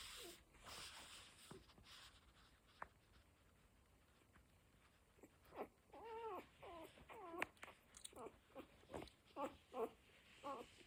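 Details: Cocker Spaniel litter at one week old: near quiet with faint rustling for the first half, then a run of short, bent, high squeaks and whines that come in quick bursts toward the end.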